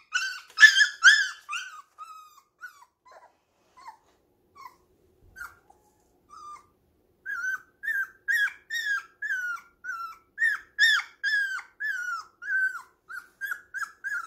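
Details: Young puppies playing together at home before a safety net went up, letting out thin, high whines and yelps: a loud cluster at the start, sparse soft whimpers mid-way, then a steady run of short repeated cries.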